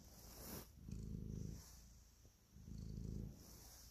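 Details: An affectionate house cat kneading as it purrs: two strong, deep rumbling bursts with a quieter gap between breaths, plus light rustling and scratching sounds from the kneading.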